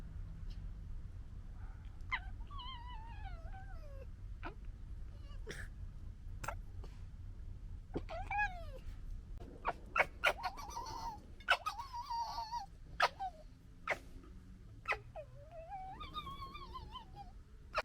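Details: European red fox cubs in the UK in summer 2021 whine in wavering, falling tones broken by sharp clicking gekkering chatters as they scuffle and fight in play.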